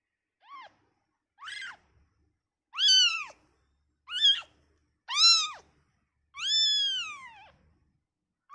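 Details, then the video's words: Newborn kitten separated from its mother calls with rising-and-falling mews, short at first then louder and longer, the final cry drawn out and slowly descending; no other sounds. "suara bayi kucing baru lahir"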